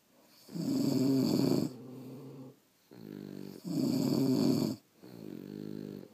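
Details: French Bulldogs asleep indoors, snoring in long rough breaths: a loud harsh inhale of about a second, then a softer, lower rumbling exhale, repeated twice in a steady sleeping rhythm.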